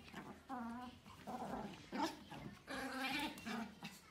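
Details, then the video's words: Pomeranian puppies, a group led by a female, giving short, high, tonal yips and whimpering barks in uneven bursts with brief pauses, mixed with a man's voice in the background. "female Pomeranian dog barking: A group of adorable Pomeranian puppies barking"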